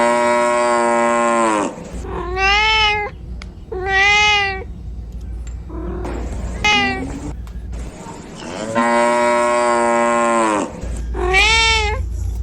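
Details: Kitten meowing while looking for its mother: six loud, harmonic meows. The first is long and low and flat, and the later ones are higher and arched, some drawn out, with short gaps between. A steady low hum runs underneath throughout.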